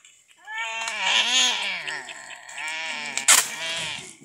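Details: Sick cat being treated by madrasa students, crying in long, wavering, drawn-out meows that fill nearly four seconds, with a sharp click near the end.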